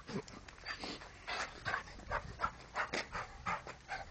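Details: English Cocker Spaniel panting: rapid breathy bursts repeated about 85 times a minute at an uneven rhythm, each puff broad and airy, with no other clear sounds.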